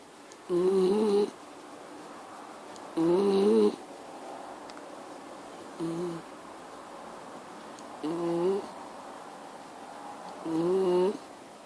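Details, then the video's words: Indoors, a Miniature Schnauzer makes rhythmic snoring noises: five nasal, buzzing bursts with a wavering tone, one of them short and softer, recurring about every two and a half seconds against quiet room noise. "Mini schnauzer making noise"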